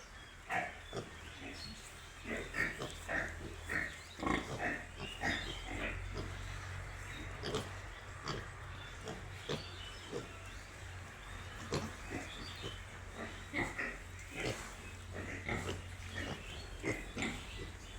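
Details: Piglets give busy runs of short nasal grunts, several a second at first, then looser snorting, with a constant low drone beneath.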